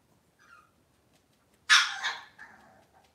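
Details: Cavalier King Charles Spaniel on a kitchen camera among breeding moms and puppies, cloudy Monday morning: a faint short squeak, then one sharp, loud bark that trails off into a softer yelp, in an otherwise quiet room.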